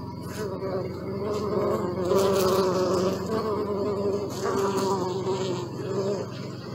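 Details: Honey bees recorded close up over a thirty-minute session, giving a steady droning buzz with a wavering tonal hum that swells and fades as bees pass near, faint bird chirps high above.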